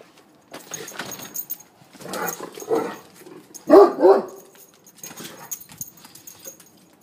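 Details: Two Great Danes outside wanting to come inside: a mix of whining, moaning vocalisations and short barks in irregular bursts, loudest around the middle, with faint background hiss.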